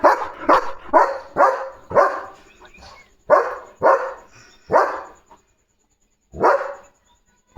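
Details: German Shepherd named Leo in guard mode when a parcel arrives, giving loud repeated barks, roughly two per second, in bursts with short pauses.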